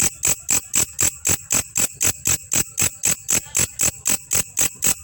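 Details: Belalang kecek grasshopper used as master audio for teaching songbirds: a very regular train of short, harsh, high-pitched clicking buzzes, roughly four per second, twenty in total, each with a ringing top edge and little else heard.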